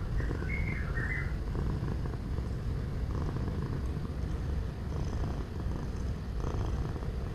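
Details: Relaxing purr of a domestic cat, a dense low rumble running throughout with a slight dip midway, plus a quick twittering bird call near the start.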